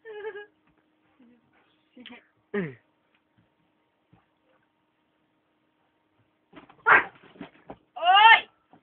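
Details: Playing Akitas produce scattered short whimpers early on, then a loud burst of strained, harmonic whining howls near the end after a long quiet gap.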